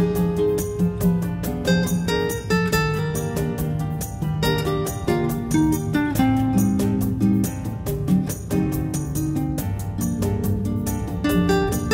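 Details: Strummed and plucked acoustic guitar music plays steadily throughout, with no animal voice anywhere.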